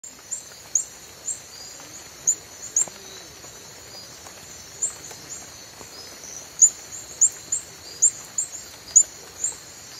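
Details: Reticulated glass frog (Hyalinobatrachium valerioi), call.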